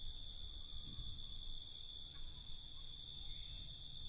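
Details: Crickets chirping after dark, an even, high shimmering trill that holds constant throughout, with a brighter voice rising near the end above a light low hum.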